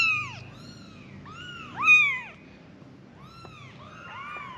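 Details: Kittens calling to their mother, five in all, with scattered clear arched meows, one sharper louder cry in the middle, quiet room background.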